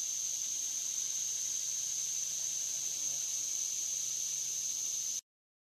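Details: Cicadas calling between dusk and dawn along the Licking River at Morning View: a loud, unbroken, high-pitched shrill drone holding one steady pitch throughout, over a faint hiss. It cuts off abruptly into silence near the end.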